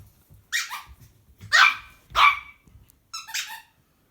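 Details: Kiki, a Chihuahua newly joined to the family, plays indoors and hears a squeaky toy for the first time; four short, high, yapping barks, each sliding downward, spaced under a second apart in a quiet room.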